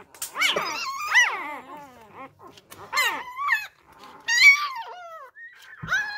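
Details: Newborn Labrador Retriever puppies, whose first-time mother has been deserting them, being hand-fed fresh milk indoors; high-pitched squealing whines that rise and fall, several overlapping cries in bursts, with brief quiet gaps between.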